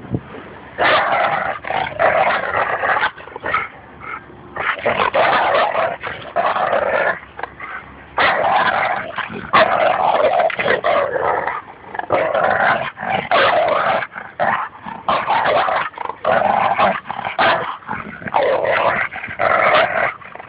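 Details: Two dogs, a Labrador Retriever and a Bouvier des Flandres, playing tug-of-war at a Fernandina Beach dog park, the Lab vocalizing heavily: sustained throaty growls broken into uneven bursts of a second or two, with short yippy accents throughout.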